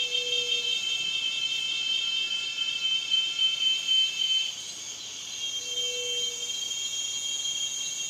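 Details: Cicadas droning in a continuous shrill, metallic buzz made of several stacked high tones. The buzz eases slightly halfway through, and two short low whistled notes sound faintly beneath it.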